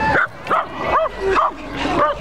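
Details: Dog at a parade barking at a T-Rex costume: five sharp, high yipping barks at about two per second, with crowd chatter behind.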